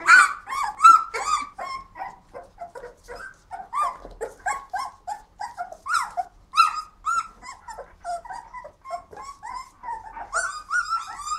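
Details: Flat-coated Retrievers whining and yelping excitedly indoors, with quick, uneven bursts of high, bending cries, some sharp yelps and brief pauses between runs of calls.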